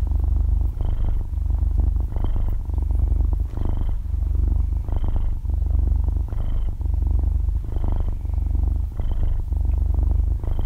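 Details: Sleeping half-year-old kitten purrs like a small motor, close-up in a quiet room: a steady, deep rumble pulsing with its breathing about forty-three times a minute, each inhale bringing a light breathy lift.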